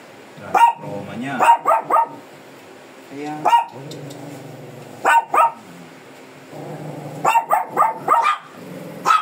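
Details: Fierce Shih Tzu being groomed, short sharp barks in quick clusters of two to four, repeated several times across the clip, with a groomer talking in Filipino between barks.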